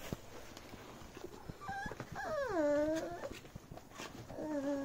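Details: Beagle puppy playing with a bag: a short whine, then a long drawn-out whine that dips and levels off, and another wavering whine at the close, over faint rustling indoors.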